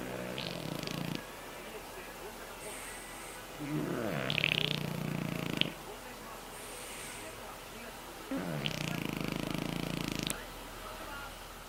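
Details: French Bulldog HARUTA, aged two years eleven months, recorded around soft palate and nasal surgery; raspy broadband snores come as three long breaths about four seconds apart, separated by quiet stretches.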